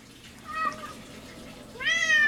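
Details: Domestic cat named Scientist meowing indoors after eating, while playing: a short faint meow, then a louder harmonic-rich meow rising and holding, two calls in about two seconds over low room hum.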